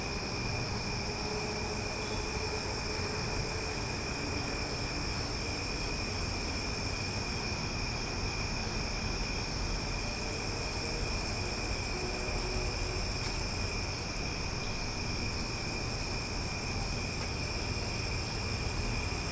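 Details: Night-time summer cicada chorus in Omaha, loud and unbroken: a layered, ringing high drone holds steady throughout, with a burst of quick ticking pulses in the middle and a soft low rumble beneath.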